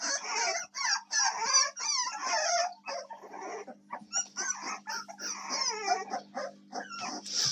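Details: Whining American Staffordshire Terrier puppies, recorded 7 May 2024: dense high squeals with bent, sliding pitch, clustered in bursts of about three per second, briefly quieter midway before the whimpering picks up again.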